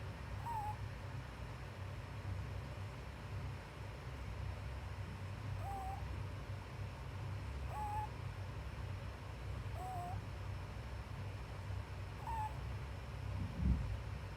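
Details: Daytime snoring from Pupu, a sleeping pet rabbit: faint high whistled squeaks repeating roughly every two seconds, some dipping then flattening, above a constant low rumbling hum.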